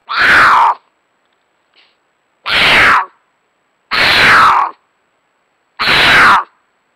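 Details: A mountain lion gives loud, harsh, screaming caterwauls under a second long, repeated every couple of seconds, an estrus mating call recorded in Nebraska on 5 April 2022 at 9:18 pm; Cougar.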